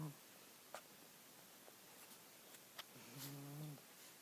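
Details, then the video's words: Jiggy, a pet cat called Mr. Jigilo, asleep, with a single short, low, droning snore near the end after a quiet stretch broken by small clicks. "Snoring Mr. Jigilo the Cat"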